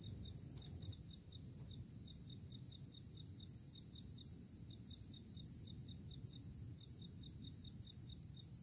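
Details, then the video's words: Crickets calling together in early April, a continuous piercing trill with short gaps, layered over rapid regular ticking pulses and a soft low-frequency hum throughout. "Nature Choruses: Early April Crickets"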